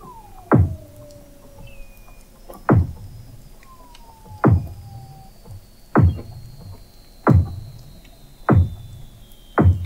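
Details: Beneath thick sea ice in McMurdo Sound, Antarctica, Weddell seals in November 2017 give seven loud booming downward chirps at steady intervals, while faint long whistles slide slowly downward in the background and short tonal sweeps interleave.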